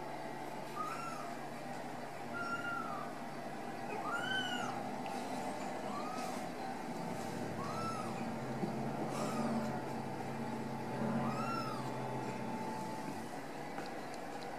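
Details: Home-raised Ragdoll kittens from a central Kansas cattery kept without cages mew repeatedly, about nine high, arched cries spaced roughly every one to two seconds, some with bright overtones, over a constant background hum.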